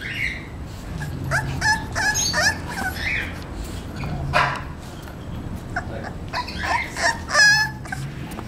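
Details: Male English Bulldog puppy, 38 days old, giving short whimpering yips in uneven bursts, some high and squeaky, with low background hum throughout.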